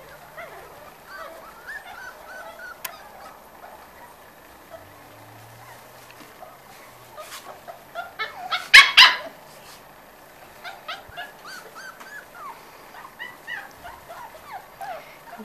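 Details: Five-week-old Corgi puppies of a litter whimper and squeal in a chorus of thin rising and falling cries, with one louder burst of yelps near the middle and soft chatter from a person in the background.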